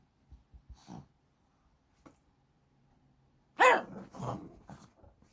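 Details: Shih Tzu brothers at play indoors, 12 April 2023: a few soft snuffles and taps, then one sharp, loud bark with a clear, slightly rising tone, followed by a lower grumbling growl and fading huffs in a small room.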